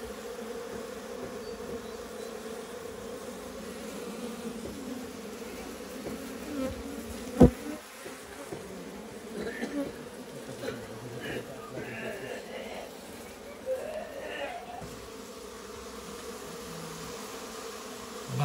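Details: A low, continuous hum from local honey bees at their hive inside a goat shed on a farm; one loud knock midway and some faint higher rustling and clatter later on.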